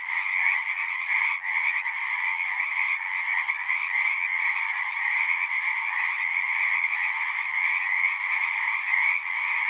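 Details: A frog chorus of many voices, continuous and evenly loud, its countless overlapping croaks merging into a buzzing, pulsing drone at two pitch levels with slight swells throughout.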